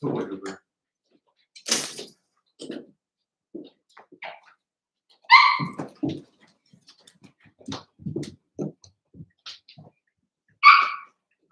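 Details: Three Cavalier King Charles Spaniel puppies, Cooper, Conner and Jenny, born 06/09/2022 with Ruby and Blenheim coats, filmed indoors overnight on 8/27: scattered short whimpers and soft grunts, with two clear high whines breaking the quiet.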